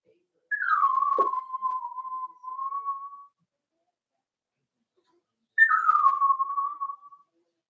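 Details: Four-week-old Cavalier King Charles Spaniel puppies from Daisy's litter in their pen: two drawn-out tonal whines, each sliding down from a higher start and then holding a steady pitch, the first lasting nearly three seconds, with silence between.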